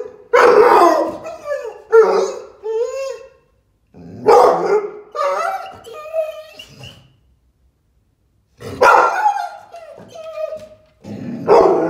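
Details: Excited female American Staffordshire Terrier giving three bursts of loud, harsh barks, each falling away into short whiny yelps and whimpers, separated by brief silences.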